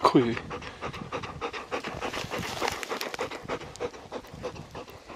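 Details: Deokbae, a Labrador Retriever, breathes hard during a mountain walk in heavy late-March snow in Gangwon Province, Korea: quick, rough, breathy puffs repeat steadily after a brief voiced sound at the start.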